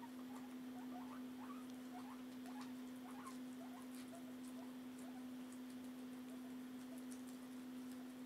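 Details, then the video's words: Pet guinea pigs eating indoors, one munching while its companion is not hungry; faint rapid chewing patter with brief upward squeaks in the first half, a constant low hum underneath. "Om Nom Nom Nom #4 | Guinea Pigs"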